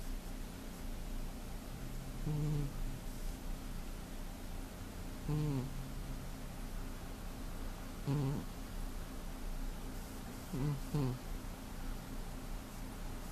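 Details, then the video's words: Four deep, throaty snores roughly every three seconds come from a heavy male cat sleeping indoors in February 2015, with a quiet constant hum behind them. "Snoring Cat"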